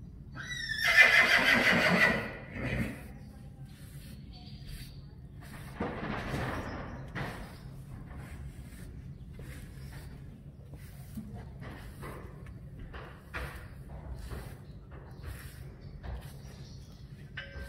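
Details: Friesian horse in a herd, having its braided mane treated, gives one loud, shaky, high whinny of about a second, then quieter snorts, hoof knocks and faint human voices.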